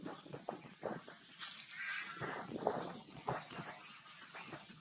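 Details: Brinn, a young monkey being weaned off milk, cries for its mother: short choppy whimpers, then a piercing high screech, followed by rough wavering wails and quieter sobs.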